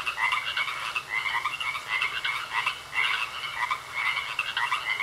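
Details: Croaking frogs in a pond, a softer, busy chorus of trilled, pulsing croaks rising and falling in waves, several animals calling together over a low constant hum.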